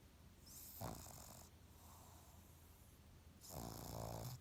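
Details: Pug asleep and snoring: two rumbling, raspy inhales nearly three seconds apart, the second longer and louder, with soft breathing in the gap.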